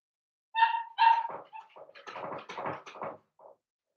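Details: Seven-week-old blenheim Cavalier King Charles Spaniel puppies from a litter of five born at New Year, in an indoor puppy pen: two high whining yelps, then a run of shorter, softer yips and whimpers over three seconds.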